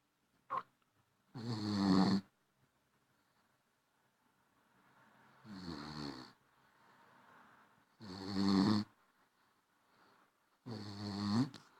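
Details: A tired Basenji puppy snores in slow, raspy breaths that come about every three seconds.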